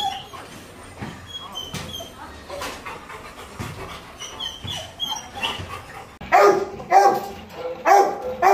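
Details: A Labrador Retriever during a stud (mating) session gives loud, tonal whining yelps, repeated roughly once a second after a quiet start.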